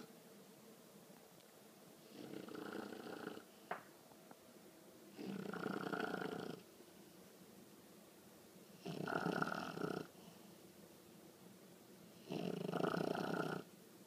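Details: A sleeping 20-week-old female English bulldog puppy snores in rough, rattling bursts every three to four seconds; the loud snoring began only a few days earlier.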